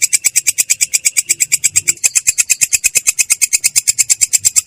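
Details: Katydid (belalang kecek) giving its clear, coarse "ngerol" roll: a short run of fast, regular, shrill buzzy pulses without any break.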